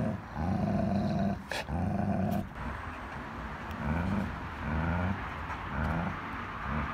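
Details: German Shepherd and Pitbull, two best-friend dogs, in a dominance tussle over a toy; a strong low growl for two seconds, then softer, shorter rumbling growls repeating roughly every second, with a sharp knock and faint background hum.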